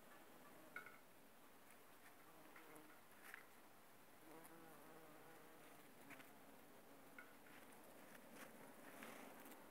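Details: Bumblebees busy on aconite flowers: a soft, low droning hum rises and fades as the bees fly close, broken by occasional clicks and rustles of the plants.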